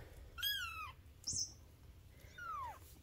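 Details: Three-week-old Bengal kittens from a fall 2021 litter, indoors; two thin, high descending mews about two seconds apart, with a brief rustle between them.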